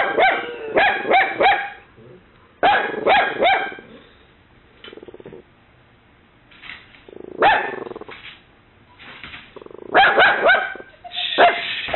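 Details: Kaylee, a mini Dachshund puppy, gives shrill indoor barks warding off an imagined intruder after a knock. Rapid triplets of barks open and close the recording, with a quieter middle of scattered softer sounds. A Boxer, Brutus, is nearby.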